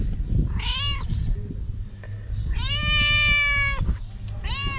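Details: Homeless mother cat in Morocco, hungry and needing food to feed her kittens, calls with loud, drawn-out meows: a short one, then a long steady wail of over a second, then another starting, over rumbling outdoor background noise.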